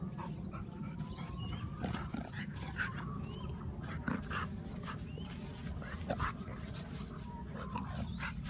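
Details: Puppies whimpering, with thin high whines and short yelps scattered over a steady low rumble of background noise.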